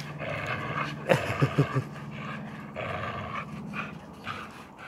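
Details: American Staffordshire terrier Tyson tugging a rope with a blue blood bulldog: a short cluster of sharp huffs, then rhythmic breathy panting over a low rumbling growl.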